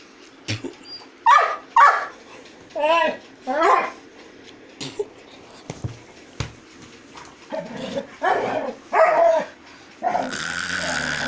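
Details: A Golden Retriever gives a series of short harmonic barks and yips, spaced irregularly over about ten seconds, mixed with people talking and a few clicks and knocks, with a rush of broadband noise at the end.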